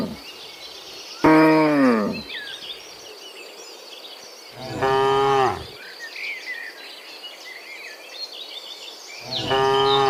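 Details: Herd of dozens of cows heading home from the fields to the pen one afternoon; three separate moos, the first abrupt and loud, later ones steadier, with chirping birds in the background.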